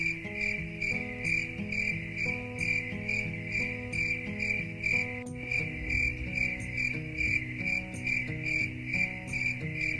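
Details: Cricket chirping set to calm the mind: a steady high pulsed trill, about two chirps a second, over gentle melodic music with soft low repeating notes throughout.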